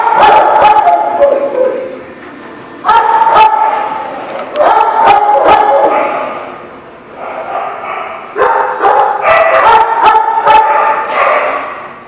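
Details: Dog barking at The Barking Lot, recorded 3/19/18: loud, sharp barks in clustered bursts with strong harmonic whines between them, about two to three barks per second, with pauses of around a second between bursts.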